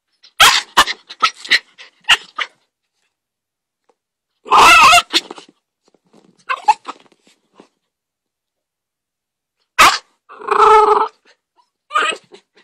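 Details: Foster puppy, an American Staffordshire/Bull Terrier mix, giving bursts of sharp, high yips and short barks separated by quiet gaps, with two longer, harsher growling barks midway and near the end, plus scattered clicks and rustles.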